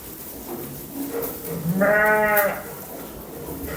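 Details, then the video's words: Young lambs calling with a single strong, steady bleat lasting about a second, rich in stacked harmonics, preceded by faint softer sounds and quiet background. "اصوات الحيوانات خرفان صغار خروف"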